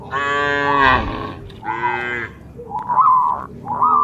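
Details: Dozens of cattle jumping over a path border between green rice fields, moving together as a herd in the countryside; two long, rich moos are followed by shorter, higher rising calls.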